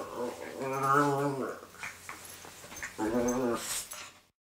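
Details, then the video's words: A pet miniature pinscher lets out two drawn-out, throaty moans, the first wavering and sliding down at its end, then a short pause before a second, briefer groan, and a faint thump at the close. "Sometimes I think my dog is part tauntaun."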